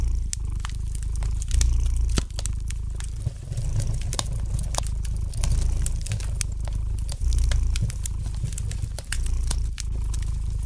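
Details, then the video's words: Low, even purr of a domestic cat near a fireplace, rumbling on with slight rises and falls in loudness while frequent dry crackles of burning wood pop over it. "Relax to the gentle purring of the cat and the light crackling of the fire in the fireplace!"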